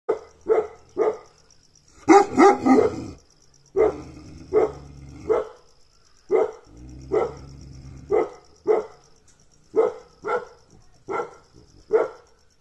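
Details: Gaddi dog barking steadily: single short, deep barks roughly every half second to second, with one brief rapid cluster of barks early on and quiet pauses between them.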